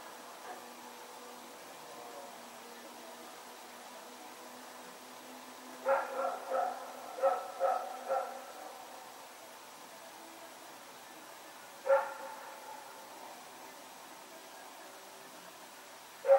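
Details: Dog Rex running around at night, September 21, 2018: a quiet stretch, then a burst of four or five barks near six seconds, a single bark around twelve seconds and another at the very end, with faint low hum.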